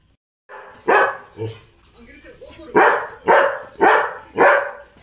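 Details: Labrador Retrievers Tom, Mona, Ruby and Sona during their evening routine; loud, sharp barks in a quick series, one softer bark after the first, then four strong barks roughly half a second apart.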